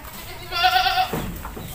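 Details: Goat on a breeding farm bleating once, a wavering nasal cry of about half a second, while people talk nearby about making organic fertilizer from goat manure.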